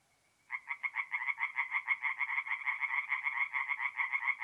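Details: Tree frogs singing at night at a forest pond in north-east Italy in mid-April. After half a second of near silence, rapid nasal croaks start and repeat several times a second in a steady, pulsing chorus.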